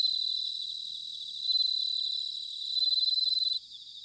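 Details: Bell cricket in autumn, recorded in Sanuki, Chiba, Japan: a clear, bell-like ringing trill rising in strength for about two seconds over a rapid high pulsed chorus, then stopping abruptly.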